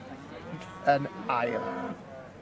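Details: Senior Hereford bull at a show gives a short harmonic bellowing moo lasting about a second, rising then holding, with show music and voices around.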